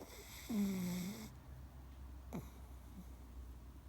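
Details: Pugzo, a 1.7-year-old female pug, snores while sleeping soundly: one drawn-out, low, nasal rasp lasting under a second, then a short quick snort, in a quiet indoor room.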